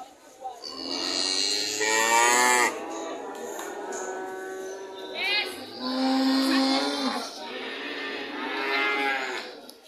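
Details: Several loud cattle moos follow one another, some hoarse and wavering, others smooth and sustained, with brief gaps and overlapping lowing.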